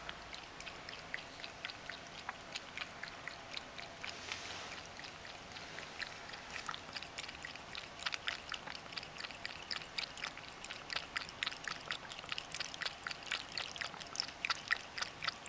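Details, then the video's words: Pet Ragdoll cat Mojio drinking water, its usual daily habit; long sequence of quick wet lapping clicks near four per second, growing a little louder toward the end, background quiet. "【猫のもじお君（ラグドール）】 水を飲む① 【I will drink water Cat (ragdoll)】"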